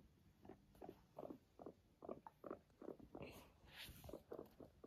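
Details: Pet guinea pig Max purring as it walks beside its loving owners indoors; soft low pulses repeat about three times a second in a steady stutter, with light rustling and a brief higher noise midway.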